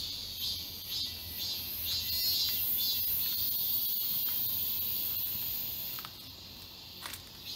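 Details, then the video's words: Cicadas in the summer forest of Galsan Park, Seoul, Korea, heard more faintly: a steady high buzzing hum with soft swelling pulses and a few clicks. "여름 자연의 소리. 매미울음소리."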